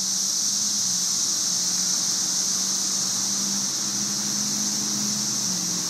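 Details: Sizzling mass chorus of cicadas in trees during the Cicada Invasion of May 2011, a flat high hiss throughout, accompanied by a steady low mechanical-sounding tone that wavers slightly.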